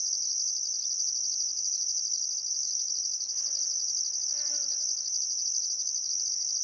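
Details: Sunset crickets on a calm summer afternoon at Welford National Park on the Barcoo River, Outback Queensland: steady piercing trill and pulsed higher buzz, while a brief harmonic bird call rises through the chorus near the middle.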